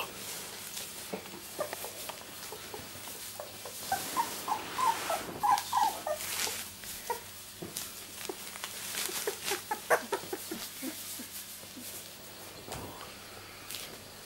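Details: Rosie's miniature Labradoodle litter, born 31 July 2009, at two weeks old: sparse high squeaky whimpers clustered midway, amid heavy rustling and shuffling with a soft voice nearby.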